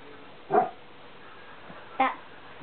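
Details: Four-week-old Pyrenean Mountain Dog pups playing: two short, sharp yelps about one and a half seconds apart over a quiet background.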